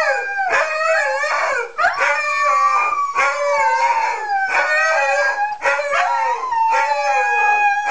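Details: Singing Siberian Huskies: a continuous group howl of bending, gliding tones that rise and fall. One voice drifts steadily downward, with quick yelps and brief dips every second or so.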